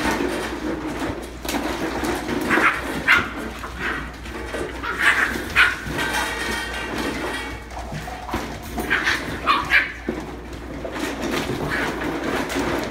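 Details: Eight-and-a-half-week-old Welsh Terrier puppy playing with seven 7-week-old Wheaten Terrier puppies; short high yips and whimpers in scattered bursts over scuffling and background noise.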